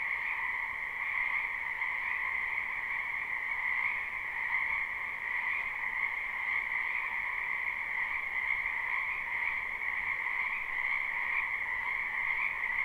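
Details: Spring wetland frog chorus, many callers recorded live with no looping, forming a constant high buzzing trill that swells slightly at moments but never stops.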